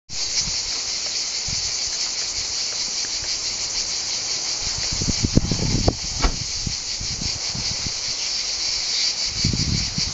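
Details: Cicada orni singing: a dense, continuous high buzzing that fills the clip, with faint rustling and low thumps underneath.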